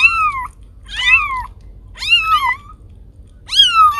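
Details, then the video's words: Domestic cat meowing, its sound offered to scare away rats: four loud, whiny meows, each sliding downward in pitch, spaced about a second apart in a quiet indoor setting. "Suara Kucing Pengusir Tikus"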